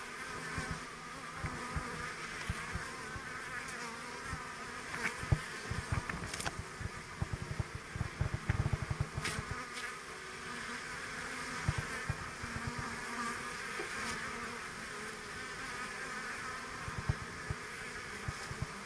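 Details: Working bees from a kept colony give a constant droning buzz, mixed with frequent low crackles and soft bumps close by.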